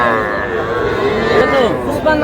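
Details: Sahiwal cattle, young bulls and heifer calves bought by a Shariatpur farmer on 11 August. A drawn-out harmonic moo that wavers in pitch and dips near the end, with people talking in the background.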